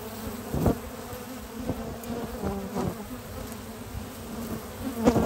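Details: Honey bee foragers returning to the hive on a spring morning with at least six kinds of pollen: a steady low droning hum from many bees, with sharp ticks and brief louder swells as individuals pass close.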